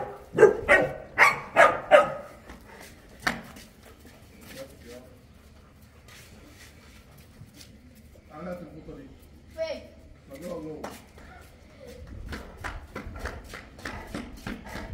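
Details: Boerboel, or South African Mastiff, kept in Egypt, barking in quick bursts at the start, then human voices talking indoors, followed by a fresh series of rapid barks near the end.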